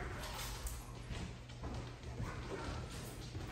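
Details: A muffled low rumble with soft thumps and faint handling noise, and no clear voices or animal calls.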